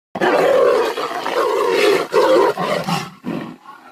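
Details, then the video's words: Tigers fighting, a loud continuous harsh roaring that fills almost four seconds, then breaks into shorter snarling bursts near the end. "Tiger Vs Tiger, Tigers Fight"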